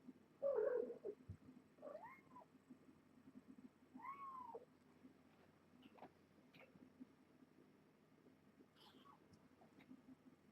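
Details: Kittens, part of a litter of seven born June 21st to Nala Se, a year-old stray taken in by Purrfect Pals, being weighed indoors: three loud, arched, high mewing cries in the first five seconds, then faint scattered squeaks over a low rumble.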